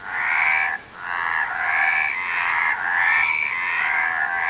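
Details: Chorus of frogs producing continuous pulsed, rattling croaks in overlapping waves, with one clear pause near the start and thin upward-sliding whistles over the steady din.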